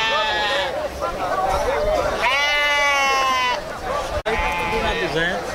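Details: At a sheep and goat market in Cansanção, Brazil, sheep, including a lot of young females, give long, wavering, nasal bleats, one held over a second, while a man talks steadily over the busy market background.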